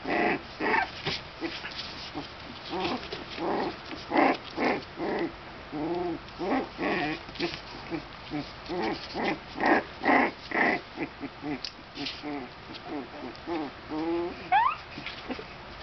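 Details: Puppies barely old enough to walk play-fighting in the whelping box where they sleep and eat; steady stream of short grumbling growls and squeaky yips, about two a second, ending in a rising whine.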